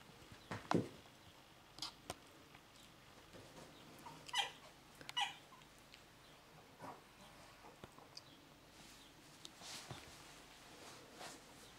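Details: Male dog, the first male of the P litter, giving a few short, high whimpering yelps with a sharp downward sweep, spread irregularly over the stretch, with quiet room noise between them.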